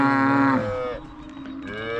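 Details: A cow on a farm during calving season, reacting to a calf distress call: a loud, steady lowing moo for half a second, dropping off, then a second moo rising at the end.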